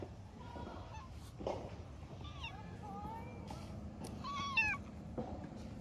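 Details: Orange tabby stray cat, met again after a long time, giving its cute "nyanya" meows: a few short rising-then-falling harmonic meows, one early and a louder, longer pair later, over quiet outdoor background.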